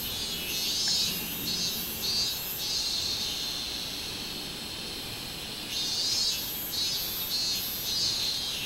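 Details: Minmin cicada singing, 24 July 2016: bursts of high, grating pulses, a quieter lull in the middle, then the rhythmic pulsing returns strongly.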